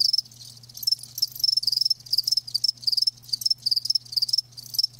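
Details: Chorus of live crickets: piercing high trills pulsing in quick bursts, some callers overlapping so the chirping barely pauses, a soft constant low hum in the background.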